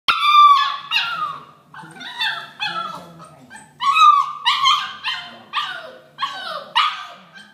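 A Vizsla gives a rapid string of loud, high, yelping barks, some drawn out into whining howls. The barks come in uneven bursts roughly every half second to a second, indoors.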